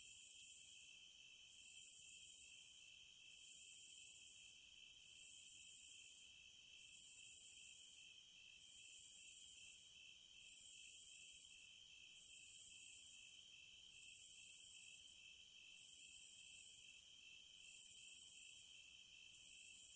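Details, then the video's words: Cicadas singing in high, hissing buzzes that swell and fade in regular pulses, about eleven bursts in twenty seconds, over a steady thin whine lower down; no other sounds. "Sounds of the Wilderness & Nature ASMR Study Rest Relaxation Sleep White Noise No Music - Cicadas"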